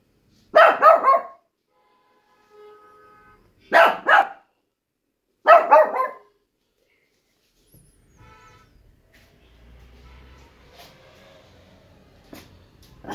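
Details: Shih Tzu dog barking in Shimla on its first trip: three harsh, broadband bark bursts in the first six seconds, each a quick double or triple yap, followed by quiet with faint rustling and distant sounds.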